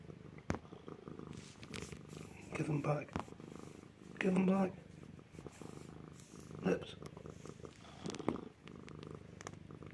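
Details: Indoor rescue cat, a male, purring as it eats its owner's shorts; continuous low purr underneath, with a man talking to it in short bursts and some rustling.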